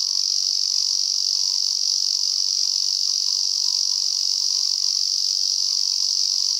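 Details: Continuous shrill buzz of a male Lyristes japonicus, met while hiking in the mountains around Kobe, Japan, where it favours pines above roughly 600 m; the drone holds an even pitch and loudness for the whole stretch.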